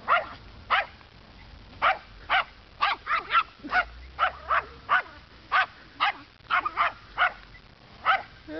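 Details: Rufus the dog barking at a neighborhood scarecrow during his daily afternoon scolding around 3:30 p.m.: sharp, loud barks in quick bursts, often in pairs, about seventeen over eight seconds, with a low rumble in the background.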